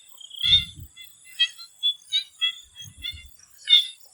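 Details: Frogs calling in a swamp in Thailand before sunset; short pulsed croaks repeated about every half second, one louder trill near the start, faint low thumps, and a steady high insect whine.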